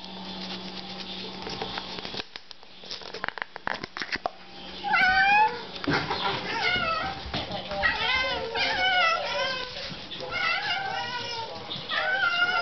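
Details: Several house cats reacting to catnip indoors; after a quiet, clattering start, repeated short rising-and-falling meows and yowls overlap from about five seconds onward, with faint room noise.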